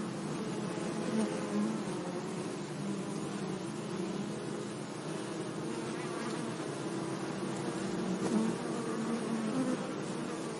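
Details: Bees humming among flowers in a sunny meadow, a continuous low drone whose pitch drifts gently as insects move closer and away, set against a soft wash of background noise.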